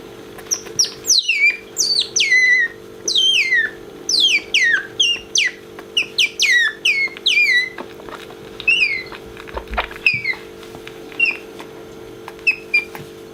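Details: Pet otter named Bingo squeaking as he sees his favourite orange towel brought near and comes toward it; rapid high, descending chirping squeaks in quick bursts, repeated steadily throughout, with a faint steady hum underneath.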